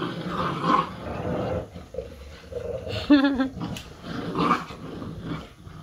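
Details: Mother dog with her puppies, said to be teaching them; low rumbling growls with a brief wavering high whine in the middle and rustling handling noises.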